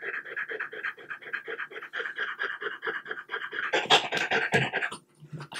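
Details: French Bulldog panting indoors while being given boiled chicken breast bites as a treat; rapid regular breathy pants about two or three per second, then louder mouth noises and smacking near the end.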